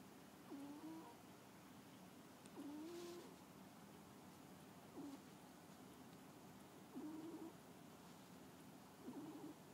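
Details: Cat asleep and snoring: five short, muffled, low snores, each with a slight upward glide, arriving at a fairly steady pace of about one every two seconds in a quiet room.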